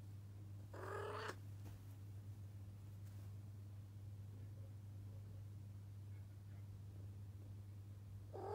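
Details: Female Arabian Mau cat indoors, wanting to be let out of the room, gives one strong harmonic meow near the start and begins another at the very end, with a constant low mechanical hum and faint clicks between.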